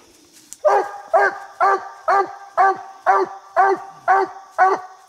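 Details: Hunting coonhound Bandit holds a raccoon up a little tree, barking over 70 times a minute: nine steady, hoarse barks at roughly two per second, evenly spaced, with no other sounds.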